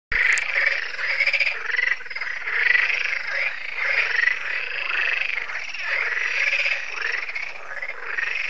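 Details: Frog chorus at a lake in France, Lac de Sabatte, heard yearly in the evening as solar lights come on. Many frogs croak densely and overlapping, rattling nasal calls pulsing continuously without a break.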